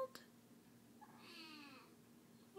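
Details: Kitten crying after being sick, wanting to be held; a single drawn-out meow with a rising then falling harmonic-rich shape lasting about a second, in a quiet small room, followed by a soft comforting voice.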